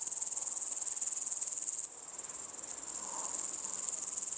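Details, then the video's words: Upland green bushcricket singing in Estonia in August 2012; a high, hissing, rapidly pulsed buzz, about four pulses per second, broken by a brief drop at the midpoint before resuming, with little else heard. "Upland Green Bushcricket"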